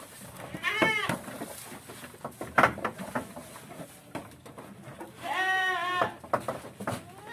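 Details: Goats fed silage during the rainy season on a farm, eating eagerly; two loud, wavering bleats, one near the start and a longer one near the end, with a man talking and clattering noises in between.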